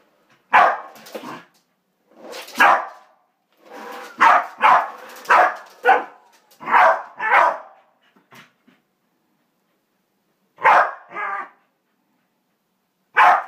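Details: A corgi facing a vacuum cleaner barks in loud, sharp bursts, often doubled, with short pauses between volleys.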